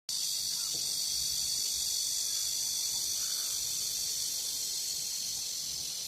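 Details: Evening cicada calling near a countryside house at Geumnam-ri along Bukhangang-ro, heard in early summer before other cicadas start; a steady, dense high-pitched buzzing hiss runs unbroken through the whole stretch.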